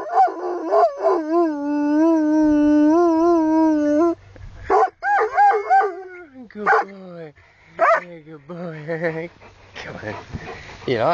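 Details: Plott Hound Huckleberry serenading its owners amid English countryside, opening with a long steady howl, then broken rising and falling howls and yips mixed with human voices encouraging the dog.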